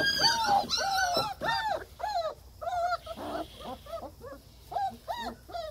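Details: German Shepherd pups whimper in a run of short arched whines about twice a second, starting loud and becoming softer and more broken.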